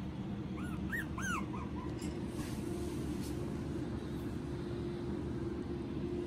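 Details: Pekingese × Poodle mix dog giving a short run of high, arching whimpers, each rising and falling, about six in quick succession over a second, then quiet over a steady low hum.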